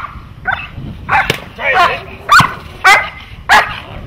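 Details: Dog during protection training giving five or six loud, harsh barks at irregular intervals, mixed with human voices.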